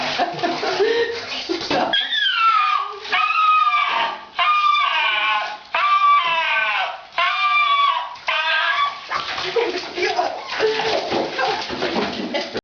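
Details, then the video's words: Female pet dog crying while being bathed: about six loud, drawn-out wailing howls that slide downward in pitch, each a second or so long with brief gaps, framed by splashing bath water and a person talking. "A Bad Dog Makes a Terrible Noise While Being Bathed"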